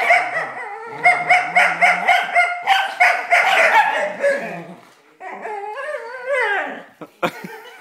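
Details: Black smooth collie playing tug, voicing rapid pulsed growls repeated about four per second for several seconds, then a brief pause and a drawn-out wavering whine rising and falling, ending with a sharp click.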